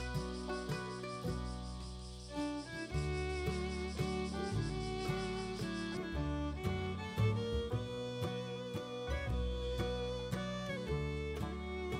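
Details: Steady instrumental music with bowed strings and a regular beat fills the whole stretch, without any animal sound.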